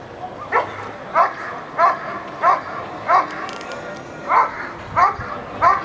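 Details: Eran von Houthrack, a dog doing protection work at the NIAK 2014 trial, gives loud, evenly spaced barks about every 0.6 seconds, nine in a row with one brief gap, over a low background hum.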